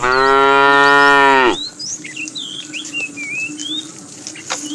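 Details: One long, steady, deep-toned moo of about one and a half seconds from a tame cow in a herd roaming the road for food, followed by quiet bird chirps.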